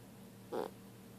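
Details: A sleeping female dog, being poked by her owner, gives one brief, muffled, mid-pitched grunting whimper against a quiet background hum.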